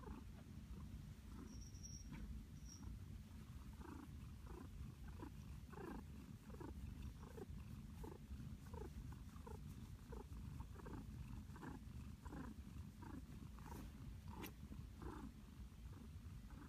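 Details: Flower the house cat purrs contentedly in a cozy blanket nest, a deep rumbling purr with evenly repeated pulses through the clip, plus a couple of brief faint high clicks early on.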